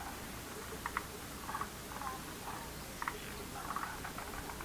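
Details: Frogs calling in a lotus pond, short bright clustered croaks in bursts of two or three notes, scattered irregularly over steady background hiss.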